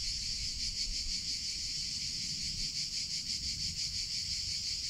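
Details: Cicadas in summer producing a loud high-pitched drone that throbs quickly and evenly in volume, with soft low background noise.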